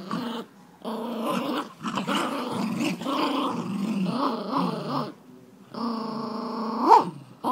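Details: Jack Russell Jax and Rosco locked in tug-of-war, one dog growling almost without pause: a rough, wavering rumble that rises and falls in pitch, broken by short silences and ending in a sharp upward-swooping snarl.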